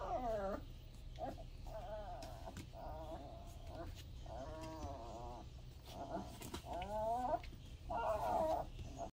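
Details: Newborn Weimaraner puppies, born Easter Day 2022, now over 3 lbs with eyes open and becoming active, whimper and squeal in thin, wavering cries that rise and fall.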